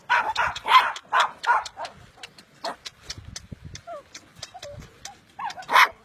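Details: Puppy giving a run of short, sharp, broadband barks and yips in uneven bursts, loud at the start and end with quieter gaps between, and a few brief higher whine-like notes in the middle.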